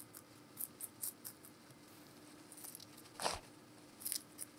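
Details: Vegetable crunching from the giant rabbit Meonji indoors: clusters of bright, snappy bites, a brief rustling thump, then more quick crunches.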